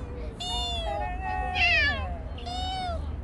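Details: Bolt, a stray cat that spent a year and five months around a family, meows three times: clear tonal cries, the middle one loudest and wavering, with quiet low background rumble and a woman's voice.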